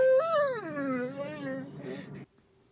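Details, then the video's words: Small Great Dane puppy wanting attention, giving a single drawn-out whimper that rises briefly, then slides slowly downward and fades before cutting off into near silence. "Great Dane Wants Attention Compilation"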